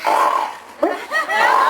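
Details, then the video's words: Samka, a female walrus at the Aquarium du Québec, gives her own developed second sound: long, wavering, moaning tones with a short break in the middle, then a rising-falling sweep, followed by a sustained hum. "Elle a développé un deuxième son. Bon, on peut l'applaudir, c'est le deuxième son de Samka."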